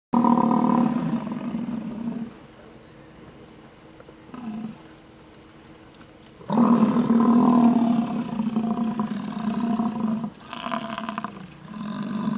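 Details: American bison herd at Yellowstone grunting during a display beside stopped traffic, watched from a car. Deep, drawn-out roaring grunts, one lasting about two seconds and another nearly four, with short bursts and quiet gaps between them.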